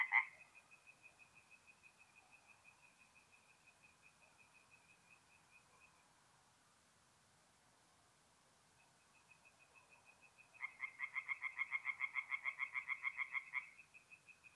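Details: Tree frogs singing at night at a forest pond in mid-April, north-east Italy: a fast train of rapid, regular croaking pulses in the distance, a short silence, then a much louder, nearer frog rattling off quick, harsh, evenly spaced croaks for about three seconds.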